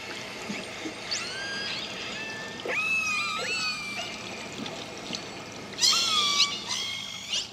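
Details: Resident killer whales of the A-Clan, recorded by underwater hydrophone in Canadian waters, call with squealing, rising and falling tones, several calls overlapping; these family-specific call types form pod dialects.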